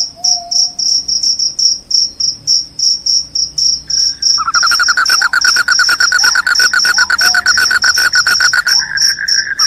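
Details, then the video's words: Cricket with a piercing voice, said to repel rats and make listeners drowsy: rapid high chirps throughout, overlaid after a few seconds by a dense lower buzzing trill of fast pulses. "SUARA JANGKRIK PENGUSIR TIKUS, JANGKRIK JANGKRIK SUARA NYARING BIKIN NGANTUK"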